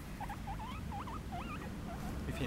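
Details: Happy guinea pigs kept outside make quick, twisting squeaks that wobble up and down in pitch, packed closely together, with a low rumble beneath.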